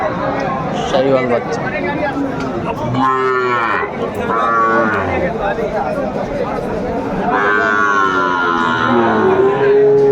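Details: Lowing cattle at a Kurigram livestock market, Bangladesh, 27 July 2024, Sahiwal bull calves on sale; several drawn-out moos rise and fall amid constant murmuring of buyers and sellers.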